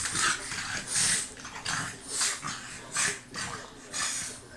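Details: A French Bulldog on an October morning gives breathy, snuffling snorts and grunts, roughly one burst every second.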